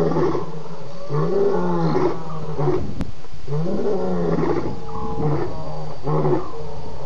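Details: Night roaring of at least two lions at Djuma waterhole, 01:30 a.m., 11 November 2016, following a buffalo's drink; deep, harmonically rich roars repeat roughly every second and a half in a rhythmic series, with constant low rumble beneath.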